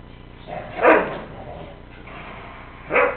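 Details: Two pet dogs, Chico the Weimaraner and Bruce the Mastiff, playing together indoors; two loud short barks about two seconds apart over a low steady hum.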